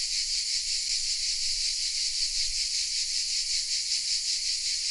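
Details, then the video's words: Chorus of cicadas hidden in oaks at Vézénobres, southern France, captured on a Sony RX10 M3: a continuous shrill buzz, rapidly pulsating and even in loudness, filling the whole stretch with no other sounds. "The sounds of CICADAS😊 : Welcome in the south of France"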